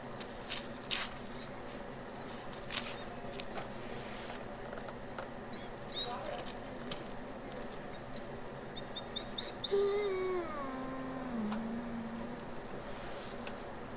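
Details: Wolves of the exhibit and retired packs at the International Wolf Center, 23 March 2018: a single smooth howl slides down from a higher pitch to a lower held tone over about two seconds, with a few faint bird chirps and steady background hum earlier.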